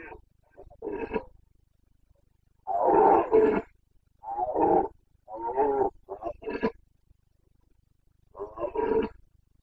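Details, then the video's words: Carpathian red deer stag in the Bucovina mountains of Romania during the late September breeding season, roaring in a series of harsh, throaty bellows, some long and some short grunting bursts separated by pauses, with no other sounds. "Boncănit / Carpathian stag Breeding season 29.09.2022"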